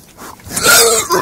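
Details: A pig gives one brief, harsh, noisy squeal that swells in loudness and fades within about a second.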